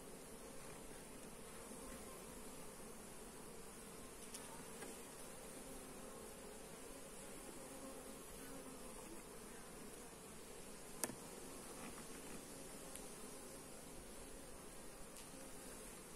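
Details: Honey bees buzzing during a hive inspection, recorded on a Xiaomi Redmi Note 8 phone: a steady, even low drone from many bees holds throughout, with a single sharp click near the end.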